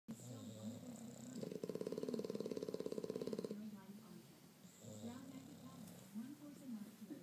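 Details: Gatsby and Mr. Beefy, a French and an English bulldog, asleep and snoring: a loud rattling, rapidly pulsed buzz lasting about two seconds, then softer breathy rumbles, with human voices murmuring in a small room.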